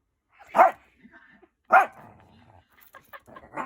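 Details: A Shih Tzu mother barks at her daughter for no apparent reason, giving two sharp, mid-pitched barks about a second apart, followed by softer huffs.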